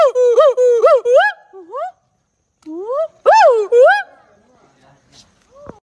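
A gibbon sings loud, pure whooping notes that swoop up and down in quick succession.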